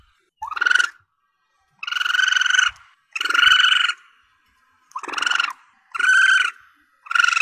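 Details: Young Asian palm civet, recorded as a hunting lure, giving six loud nasal squeals: the first rises sharply and later ones stretch to nearly a second, separated by pauses of about half a second.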